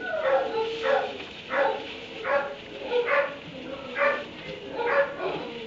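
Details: Dog in a kennel in a barn at 3am, barking steadily in short harmonic bursts roughly every 0.7 seconds, each bark rising and falling in pitch, with a faint room echo behind.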